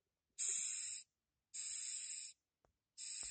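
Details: A single Madagascar hissing cockroach gives sharp, airy hisses, each under a second, repeated in quick succession, as it is touched and tries to butt back.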